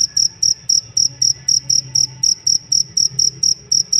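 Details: Shrill cricket chirps, a training sound for songbirds, sharp evenly timed pulses about four per second, each short and bright, above a faint low hum.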